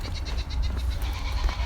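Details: On a homestead around 8:30 in the morning, with pregnant goats and loud Kune Kune pigs nearby, a goat gives a quavering, wavering bleat over a steady low rumble.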